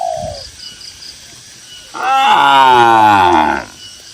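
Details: A single loud, sustained moo about a second and a half long, full and harmonic with a gently falling pitch, from tame cattle grazing on a cool green field in rural countryside. A brief dove coo opens the clip.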